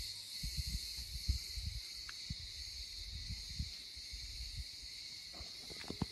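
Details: Cicadas in olive groves around a village house on Rhodes, Greece, in summer fill the air with an unbroken, high-pitched, shimmering buzzing drone that holds steady, over soft low thuds and rumbles like wind or handling.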